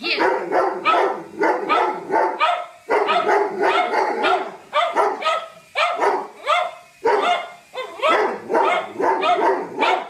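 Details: Doberman from a funny dog compilation barking in rapid, insistent bursts, roughly three harsh barks a second, with brief pauses between volleys over ten seconds.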